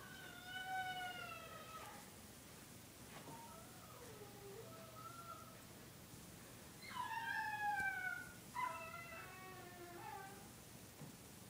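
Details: Puppy howling at home in a series of long, wavering harmonic howls, some sliding downward, with short pauses between them and a few broken, whimpering notes near the end.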